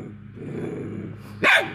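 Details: A hound after an escaping squirrel growls low and steadily for over a second, then breaks into one loud, harsh bark.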